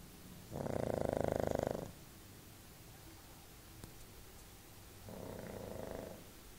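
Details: Sleeping pug on a bed gives two loud, buzzy, vibrating snores, the first longer and stronger, separated by a few seconds of quiet breathing.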